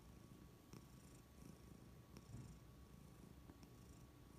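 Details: Happy house cat purring quietly, an even low drone broken by faint breathy swells and a few small taps, with no other sounds nearby.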